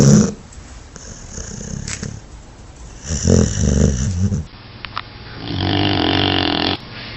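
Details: Snoring from a sleeping dog: quiet breathy rasps at first, then a louder throaty snore with wobbling pitch, and finally a steady, smooth, humming snore over a soft background hiss.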